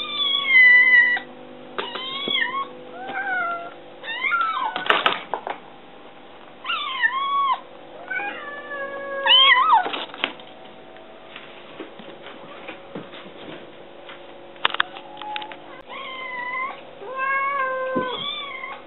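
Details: Kitten pestering for food indoors: many short and medium meows in quick irregular series, some rising then falling, mixed with clattering knocks and thumps and a steady background hum.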